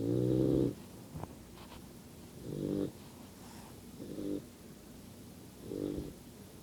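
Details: Yellow Lab puppy asleep and snoring, with low grating drawn-out breaths. The first is long and loud, then three shorter, softer snores follow at uneven gaps over a quiet room background.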